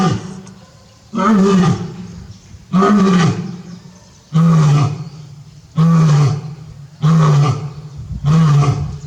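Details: Captive male lion at Tobe Zoo, Japan, 5 October 2021, calling again and again toward the backyard for his departed female; six powerful low roars, each about a second long, spaced roughly every 1.5 seconds.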